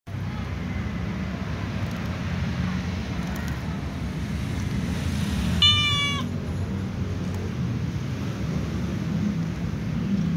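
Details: A calico cat sitting on a wooden chair with a white cat gives a single short, clear meow over a steady low rumble.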